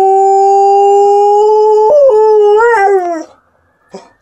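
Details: Liza, a female Alaskan Malamute, howls a long, steady, mid-pitched tone for about two seconds. It then wavers, breaks and rises briefly before sliding down and fading after three seconds, followed by a faint short sound in an otherwise quiet room.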